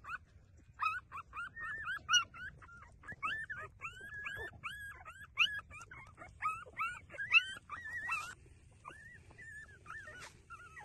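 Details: Street-dog puppies breastfeeding, giving a steady run of high, thin whimpers and squeaks, many with a quick rise-and-fall bend, overlapping and repeated without pause; a couple of short clicks near the end.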